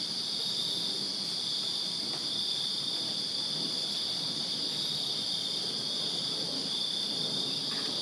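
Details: In a Virginia backyard on a summer night, crickets fill the air with a steady, shrill wall of trilling chirps at high pitch, with soft low background noise and occasional faint ticks.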